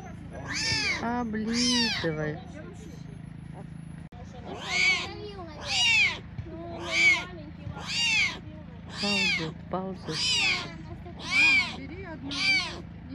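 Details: Abandoned tiger cubs, left by their mother, at a Crimean lion park in Belogorsk crying repeatedly: high, strained, arching mews roughly every second, about a dozen in a row, over low human voices.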